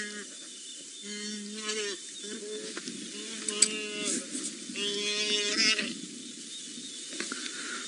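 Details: At Angama Mara on 10 August 2017, wildebeest give four or five drawn-out, nasal, mid-pitched bleating distress moans, each about a second long, as a lioness takes down three wildebeest; a faint voice and light background noise.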